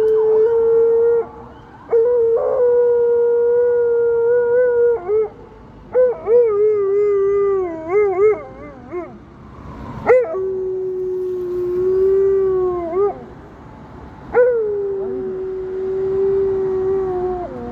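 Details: Alaskan Malamute howling in response to a police car siren; long sustained tonal howls with strong harmonics, some wavering and bending in pitch, a few rising sweeps, separated by short pauses, with a person's voice briefly heard.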